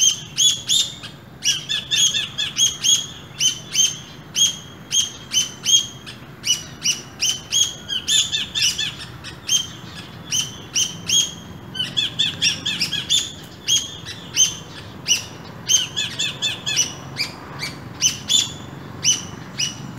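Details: Chirping calls from a pair of squirrels in an urban setting at early morning: rapid, piercing chips in quick clusters, sometimes doubled, repeated almost without stopping for twenty seconds.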